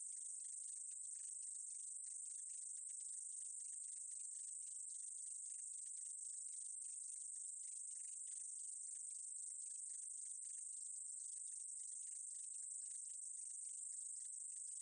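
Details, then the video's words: Meadow katydid, from a 2020 National Institute of Biological Resources recording: a steady, high, hissing buzz runs unbroken throughout, with dense flickering pulses beneath it and no other clear sounds. "쌕쌔기, 여러번 듣기, 곤충소리"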